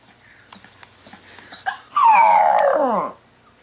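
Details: A dog in an apartment in North Dakota in January howls after its owner's sister leaves, giving a single drawn-out howl that slides steadily downward in pitch.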